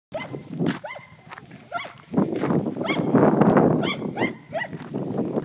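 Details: Dog barking at cows: about six sharp, rising-falling barks at irregular intervals, with a loud broad rumbling noise swelling through the middle and later part.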